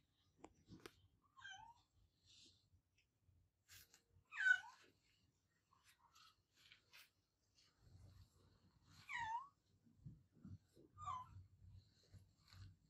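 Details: Adopted house cat meowing loudly: several separate wavering meows spread over the recording, the loudest near the middle, with quiet gaps and low thumping noises in the later part.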